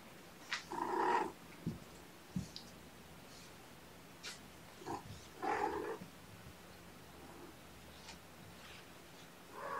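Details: Drowsy kittens stirring awake, cuddled up with a person, give several short, rich mews spaced a few seconds apart, each with a low undertone, in a quiet indoor room.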